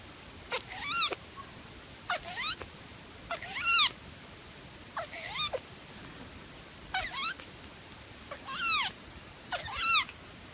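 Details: Sphynx cat, a hairless breed, meowing repeatedly: seven high, strained meows arriving every one to two seconds, each rising then falling with a harsh, bright edge, over a quiet background.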